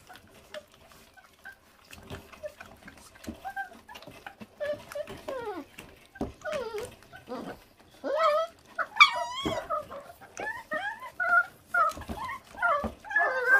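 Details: Feral dog puppy, born to a feral mother that does not care for her young, eating: a run of high, bending whines and short yelps, sparse at first, then crowding together in rapid rising-falling cries in the second half, with clicks and scrapes between.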